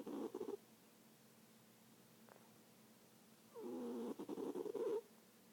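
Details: Sleeping cat gives a short, rattly snore, then after a quiet pause a longer, raspy breath that slides into a nasal, buzzing tone.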